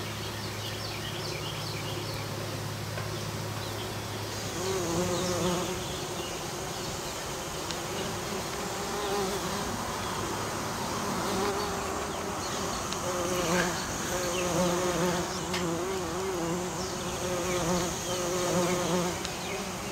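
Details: Western bumblebee pollinating an American basswood tree: a steady low hum in the first seconds gives way to a wavering, droning buzz whose pitch rises and falls as the insects move among the flowers, with faint high chirps in the background.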